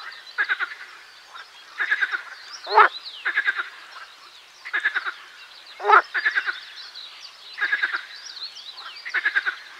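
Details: Marsh frog (Pelophylax ridibundus) song amid a frog chorus: short trains of quick staccato pulses repeated steadily, with two louder harsh croaks standing out; continuous murmur of other frogs.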